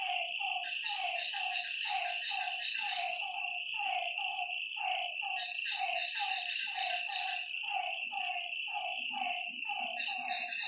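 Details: Lakeside frogs at night giving quick, evenly pitched croaks in a dense repeating chorus, backed by a continuous high insect trill and faint low murmurs.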